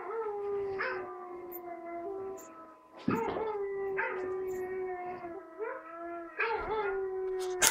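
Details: Four-month-old tricolour basset hound puppy learning to howl, giving a string of drawn-out howls. Each starts with a sharp rising yelp and then holds a level, overtone-rich tone, and they come back to back about once a second.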